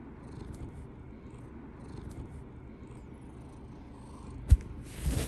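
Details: A pet cat with a straw-coloured coat, being affectionate with its owner before sleep, purrs in a steady, low, continuous rumble, followed near the end by a sharp knock and a rustle.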